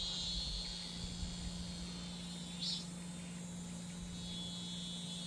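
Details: Cicadas buzz in summer, a steady high droning chorus with a second thinner band far above, holding without pause throughout; a low engine-like hum runs underneath with rumble at the start.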